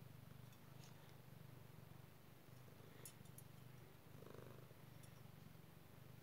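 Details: Domestic cat enjoying a scratch with a head scratcher, purring in a low, even rumble that pulses about four times a second, with light scratching noises on top.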